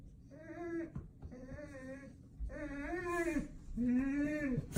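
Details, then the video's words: Excited Golden Retriever greeting its owner indoors with four long, groaning moans that swell and bend in pitch, like a Chewbacca voice, each under a second apart. "Do I Have A Golden Or A Chewbacca | Weird Sounds My Dog Makes"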